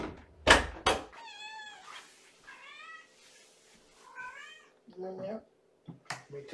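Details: Hungry female kitten in a kennel at bedtime feeding, born in April, indoors: three high, clear, bending meows about a second apart, opening with sharp knocks and followed by a few softer squeaks, while a man talks about the litter box.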